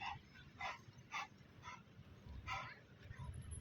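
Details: Labrador Retriever playing with a ball, giving about six short, sharp, quiet barks spaced roughly half a second apart, with a faint hum in the background.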